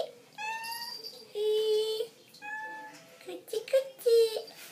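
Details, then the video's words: Persian and Siamese cats waiting for their food indoors; several drawn-out, clearly harmonic meows of varying pitch, some rising and some steady, follow one another across the clip with short pauses between them. "Persian & Siamese Cats waiting for their food."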